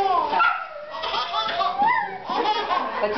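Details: A whippet barking just for fun during play, giving yelping, wavering barks that rise and fall, mixed with a man's laughter and lively talk close by.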